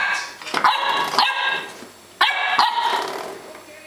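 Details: Welsh Springer Spaniel puppy, a female born March 2012, recorded indoors in June 2012, barking at the doorstop: two pairs of sharp, hoarse barks with a pause between, and an owner's voice.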